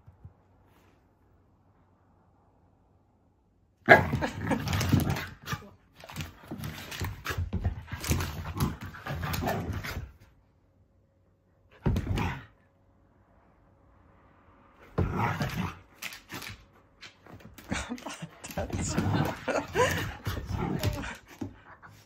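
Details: Two Akita sisters, brindle seven-year-old Patako and red six-year-old Komugi, romp wildly while trying to wake the older sister, who dozes off again; bursts of scuffling, grumbling dog noises in two long bouts, with quiet pauses and a woman's Japanese voice.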